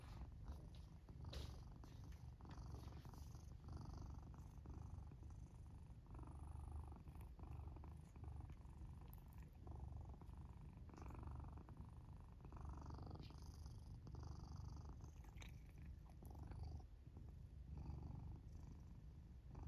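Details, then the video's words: Sleeping black house cat in a fort, snoring while it purrs; continuous deep vibrating purr with rhythmic raspy snore breaths every couple of seconds, nothing else audible. "Black cat snores and purrs while sleeping in their fort"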